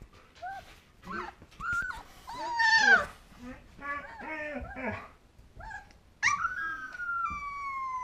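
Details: Alaskan Malamute puppy, two weeks old and female, attempting her first howl: short wavering yelps and whines build to a louder quavering cry, then a long steady descending wail to close.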